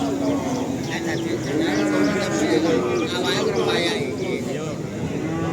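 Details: Simmental cattle at Pasar Sapi Kerek, a cattle market in Tuban, East Java: low, drawn-out lowing with steady harmonics rises through a busy soundscape of traders talking and bargaining nearby.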